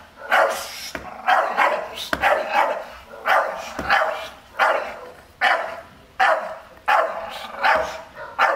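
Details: Staffordshire Bull Terrier in a garden area-guarding test, reacting to an unfamiliar man without a mask; a steady series of about eleven deep, rough barks at irregular short intervals, with faint clicks between them.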